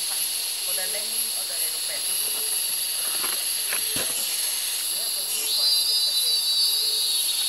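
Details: Cicadas in the rainforest of Gunung Gading National Park, Lundu, Sarawak, Borneo: a dense, steady high hissing drone with a sharp top band, a second whining buzz joining partway through, faint lower bird notes beneath.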